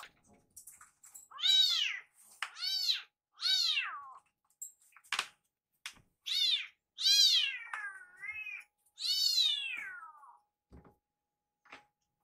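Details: Rescued baby kitten indoors, crying loudly again and again around its caretaker at the kitchen while food is prepared, urging her to hurry; cries sound like "iru iru". About seven bright, arching, harmonic meows in quick succession with soft clicks between.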